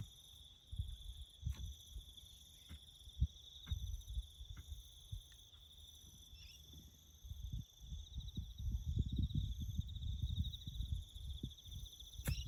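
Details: Crickets chirping in the bush during farm work building a road: a steady, finely pulsed high trill in several even bands throughout, under loud low thuds, scraping and rustling from the work.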